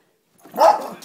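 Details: A schipperke barking at a squirrel: a single short, sharp, mid-pitched bark that swells quickly from a soft onset and then fades away.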